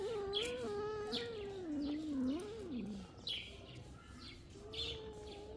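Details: Kitten drinking milk, giving a long wavering mew that rises and dips for about three seconds, then a shorter steady mew near the end, with sharp high chirps scattered throughout.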